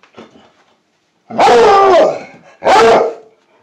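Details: A Plott Hound mix, asked whether it sees a squirrel outside, gives two long, full-throated bays, each a rich, slightly wavering howl lasting about half a second.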